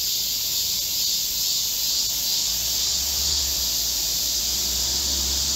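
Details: Massed song of Korean cicadas in a green forest in midsummer heat, 25 July 2024: steady shrill high-pitched hiss without breaks, with a low rumble rising underneath in the second half.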